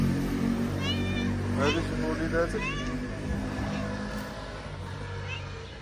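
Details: Mother stray cat in Morocco, fed on the street, talking about her little family: a few short, rising-falling meows in quick succession amid a man's speech in English and Moroccan Arabic and low traffic rumble.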